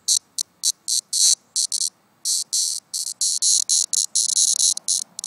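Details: In summer, a cicada that fell out of a tree and is on its last leg gives harsh, high buzzing bursts of uneven length, broken by short gaps.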